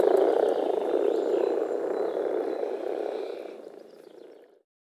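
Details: Spring chorus of male European common frogs at a forest pond, produced through vocal sacs during mating; a low rapid grumbling of many frogs that gradually fades out toward the end.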